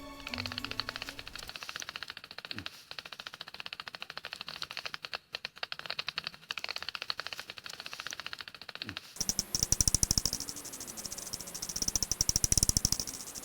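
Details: Bat echolocation from a cave in Jeonbuk, Korea, where horseshoe, long-winged and red bats were seen, made audible as rapid dry ticks and clicks with background music; each species' ultrasound is said to differ.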